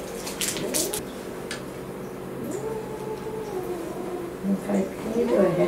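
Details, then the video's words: Boy, a pet cat with a respiratory infection and possible asthma, angry during a home visit by the vet: long, drawn-out yowls that rise and fall, indoors, with human voices and handling noises. "Cat throws tantrum at Vet"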